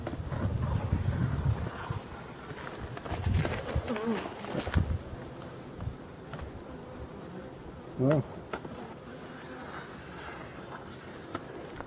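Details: European dark bees at a Voirnot hive, from hives left in a forest, being readied for winter on 30 October 2021; a low, rumbling buzz swells and fades, with handling knocks and brief voices over it.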